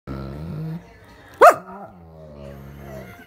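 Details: A male German Shepherd lying upside down makes a surprise vocal display: a low, drawn-out harmonic grumble, then a sudden sharp bark at the midpoint, followed by another long, low, groaning growl that trails off.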